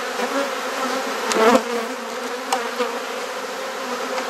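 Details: Honey bee colony humming steadily during a hive inspection in Perth, Australia, where frames are being swapped; one louder scraping knock mid-way and a couple of lighter clicks.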